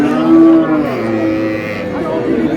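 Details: A cow at Amabari cattle market in Dinajpur, among cows offered with calves, April 24, 2026, gives one short level moo followed by a fainter low drone, with bargaining voices and crowd murmur around it.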